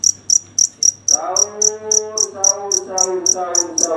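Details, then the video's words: Night-time cricket giving high, clipped chirps at a steady four per second, overlapped after the first second by a loud, long, harmonic lowing animal call that rises and falls. "Suara jangkrik ngerik di malam hari"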